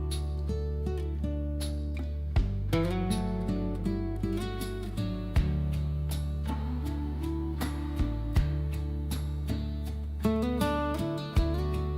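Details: Steady strummed acoustic guitar music plays throughout with a deep bass line, and no animal voices come through.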